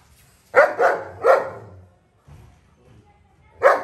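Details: Long-coated German Shepherd barking while playing with his best friends: three sharp barks in quick succession, a quiet gap with faint low rustling, then one more loud bark.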